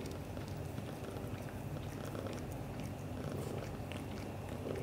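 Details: British Shorthair father cat, black golden, purring while showing affection to the mother cat indoors; steady low rumbling purr running throughout with faint soft rustling over it.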